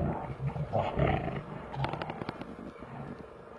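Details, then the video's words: Two big brown bears fighting in Finland; deep, rough roaring growls swell over the first seconds, followed by sharp snapping thuds and scuffling as the struggle continues. "Two big brown bear fights in Finland"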